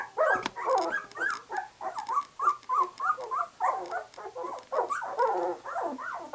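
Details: Litter of 2-week-old White English Cream Golden Retriever puppies, eyes just opening, giving a steady run of short nasal whines and grumbling grunts, repeated roughly every half second, several pups overlapping.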